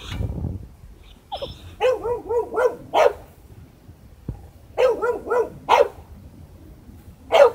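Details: Boxer named Baron at a dog breeder in Hamamatsu, Shizuoka Prefecture, Japan, behaving strangely: two quick runs of about four ringing, wavering barks, each run lasting about a second, then one lone bark at the very end.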